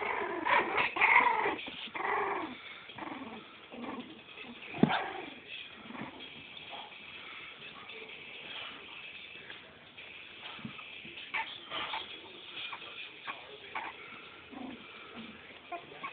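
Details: Four-week-old Cavalier King Charles Spaniel puppies make high, arched whimpers and short yips in quick irregular runs, several voices overlapping, with occasional soft thumps and rustling between the calls.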